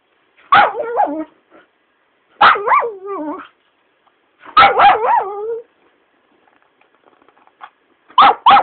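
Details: A Shiba Inu being pestered by its owner gives loud, wavering yelping cries in bursts about every two seconds, each with sliding, warbling pitch, separated by near silence.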